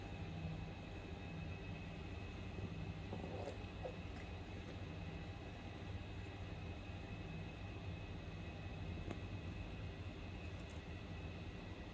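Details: A steady low rumble like a passing train or vehicle fills the whole recording, with a faint high whine and no animal calls.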